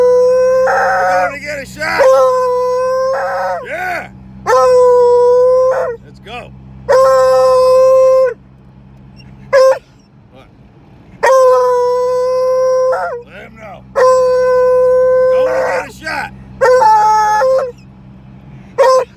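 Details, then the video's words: Male Treeing Walker Coonhound, described as loud, baying repeatedly en route to the vet: long level howls about a second or more each, broken by short yips, roughly every two to three seconds, with a low vehicle hum throughout. "Treeing walker coonhound going to the vet."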